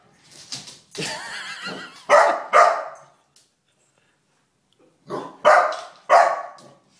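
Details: Indoors, four-month-old Golden Retriever Calvin faces a stuffed bear and gives a rough, yelping bark followed by sharp double barks, a pause of nearly two seconds, then another bark series of three.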